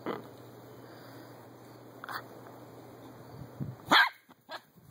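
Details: Daisy, a Miniature Poodle, running about the back yard, gives one bright, clipped bark near the end, followed by a fainter second yap, over a constant low electrical hum and soft rustling.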